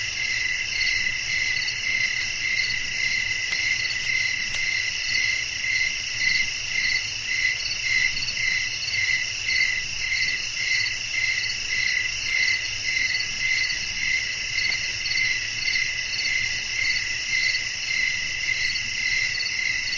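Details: Crickets calling at night in a natural setting with blowing wind: a dense, continuous, high-pitched trilling chorus that pulses rapidly and stays steady throughout, over a faint low rumble.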